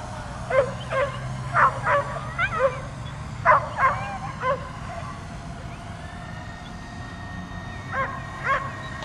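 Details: Agitated dog barking and leaping at a drone overhead; irregular barks, some in quick pairs, with a whine-like note, then a pause before two final barks, constant motor hum beneath.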